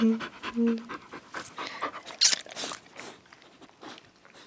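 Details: Female dog rescued from a shelter hours before she was due to be killed: rhythmic breathy panting, opening with a brief human voice.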